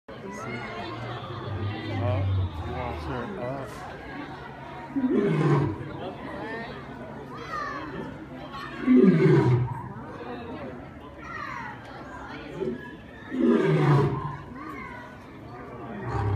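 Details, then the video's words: A lion at the LA Zoo roars in deep, falling bursts about every four seconds while people chatter nearby. "Lion Roars at LA Zoo"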